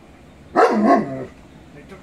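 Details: A 22-month-old male shepherd dog watching a Rottweiler on television gives one strained, whining bark lasting under a second, its pitch dipping and then trailing off, with a quiet room behind it.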